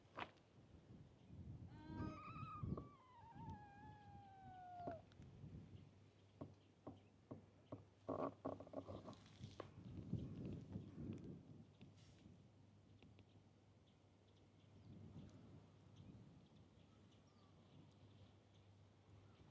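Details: Stray kitten seen at a fishing harbour, wary of the camera, lets out one falling plaintive meow early on, then rustling, taps and low rumbling noise fill the rest.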